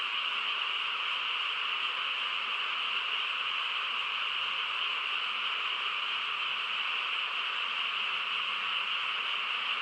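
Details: Frogs chorusing on a quiet countryside night, countless voices merged into a dense, unbroken trilling wall of sound with a bright, steady high-pitched band and no pauses.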